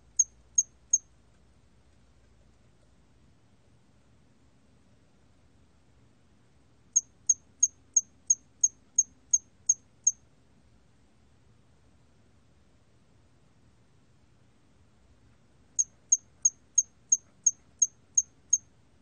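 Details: Hairy cricket calling: short, high, sharp chirps in three bursts of about three, eight and eight pulses, evenly spaced roughly three per second, with long silent gaps between bursts and a faint low hum beneath.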